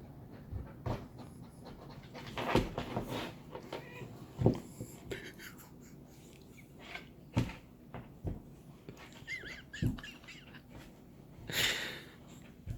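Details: Golden retriever playing with a cat, giving irregular breathy panting bursts among scuffles and soft thumps, with a couple of brief high squeaky tones late on.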